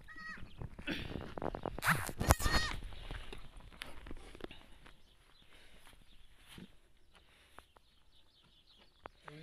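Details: Goat giving birth, filmed live as others come to congratulate; a short harmonic bleat rises near the start and repeats once, amid people talking and handling noises, then quieter rustling with scattered clicks.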